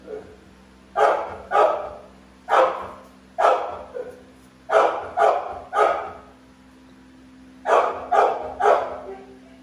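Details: American Bully Pitbull, one of two large dogs, in a run of about fourteen loud, coarse barks, mostly in pairs and triplets with brief pauses between groups; faint background hum.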